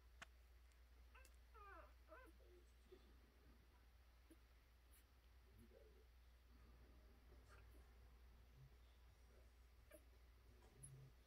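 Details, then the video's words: Four-day-old American Bully puppies of the Cujo and Storm litter nursing under a heat lamp; thin wavering squeals and whines come in clusters early on, then softer grunts over a constant low electrical hum. "American Bully Litter 2020 Day 4"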